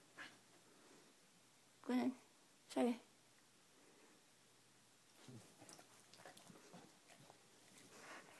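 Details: Household dog that will do anything for a back scratch, prompted indoors to say "I love you": two loud, tonal, moaning syllables close together near the start, followed by quieter murmured sounds and a person's coaxing voice.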